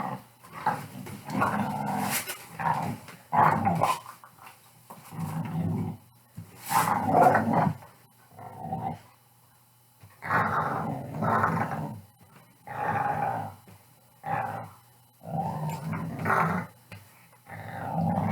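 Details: Pit Bull growling in play with about a dozen gruff, rumbling growl bursts of varying length, some choppy and bark-like, separated by short pauses over nearly twenty seconds.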